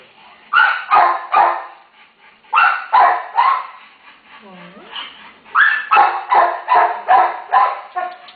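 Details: Terrier mom with her day-old pups awaiting rescue; three clusters of loud, harsh barks broken by quiet pauses, a brief whine between them, and a soft human voice calming the dog.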